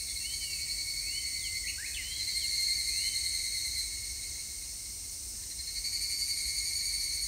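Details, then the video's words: Evening cicada song recorded on 3 August 2021. A constant shrill ringing drone rises and falls in waves, and thin whistled bird notes slide up and down near the start. "セミの鳴き声 ひぐらし"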